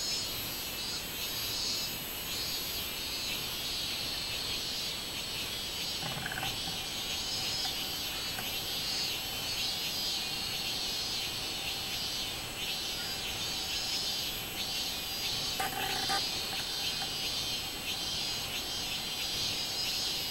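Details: Robust cicada (minmin-zemi) singing on 24 July 2016: a continuous, high, shrill buzzing with faint rhythmic pulsing that holds steady for the whole stretch, broken only by brief soft thumps near six and sixteen seconds.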